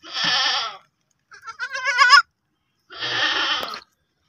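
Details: Baby goats making repeated bleats: a harsh, raspy cry, then a quavering, vibrato bleat rising in loudness, then another rough cry, each under a second with short pauses between.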